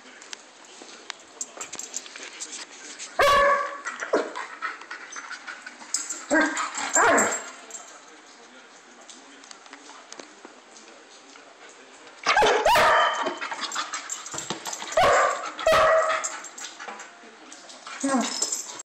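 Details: Playing German Shepherd barking in separate loud bursts, single barks and short clusters with quieter gaps of soft rustling and faint dog noises between them.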